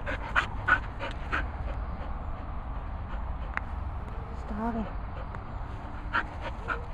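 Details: Cocker Spaniels Fin and Murphy at training and boarding kennels in rural Worcestershire, England: steady quick panting breaths with a few sharp clicks, a short wavering whimper midway, and a person chatting to the dogs.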